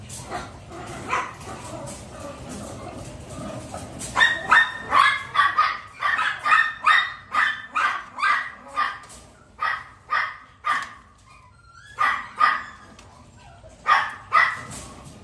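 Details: Miniature Pinscher puppy that has just learned to eat, from An Giang, Vietnam, giving quiet low sounds at first, then a run of sharp yapping barks roughly twice a second with brief pauses between bursts.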